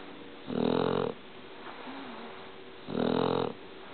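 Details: Shar Pei dog asleep and snoring, two loud buzzy rumbling breaths about two and a half seconds apart, each lasting over half a second, with a faint whistling wheeze between them.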